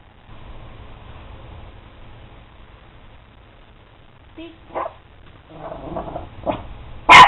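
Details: Pet dog barking on the command "speak" while doing tricks: low background rumble, a few soft short yips in the middle, then one loud, sharp bark at the very end.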